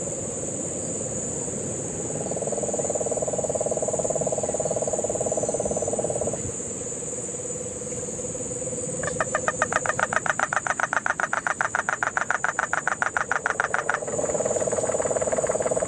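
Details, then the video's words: Guánica Dry Forest, Puerto Rico, September 2007 rains: cane toad trills fill the background before a Puerto Rican crested toad breaks in with about five seconds of quick, regular pulsing, all under a steady high-pitched insect hum. "Sapo Concho (Peltophryne lemur)"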